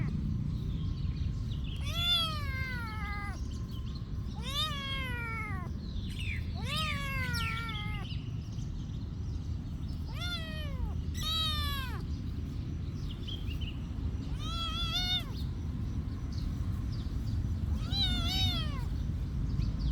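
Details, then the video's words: Several cats calling at a monastery, a series of clear meows, some short and some drawn out, arriving in irregular bursts across twenty seconds, with faint higher mews and a steady low background rumble. "Every day of cat activity at the monastery"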